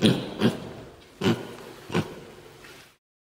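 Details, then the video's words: A male mini pig gives short, low, rough grunts in a loose series of four over three seconds: his everyday oinking, done most of the day, which his owners take as his way of "talking" to them. "Mini Pig Oinking Sounds"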